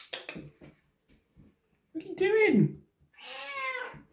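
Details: A domestic cat indoors keeps making noise while its owner asks whether it is hungry; a falling, wavering cry is followed by a long, steady, tonal meow, with a person's speech at the start.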